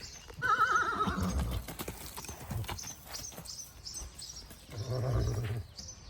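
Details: Marwari horse, filmed 9 May 2024, a horse that is drawn to people and comes to them readily. It gives a loud, quavering whinny that falls in pitch, then a softer wavering whinny near the end, with scuffing and outdoor noise between.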